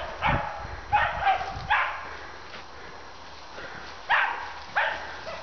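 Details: Male Fox Terrier hunting wild boar, giving sharp, harsh barks in a loose series: a quick cluster of four in the first two seconds, a pause, then two more spaced barks, with faint background rumble.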